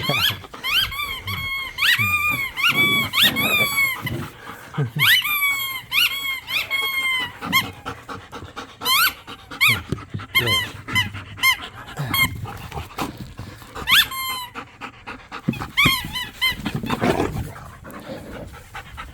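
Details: Pit bulls and a Malinois wrestle in a yard over a squeaky toy during tug of war. Dense, rapid squeaks of the toy come in clusters, with gruff growling bursts and panting underneath.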